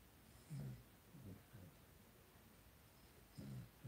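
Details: Blenheim Cavalier King Charles Spaniel puppies in an indoor puppy pen, a litter of five. Soft low snorting grunts arrive in short bursts near the start, middle and end, with quiet pauses between and faint room hiss.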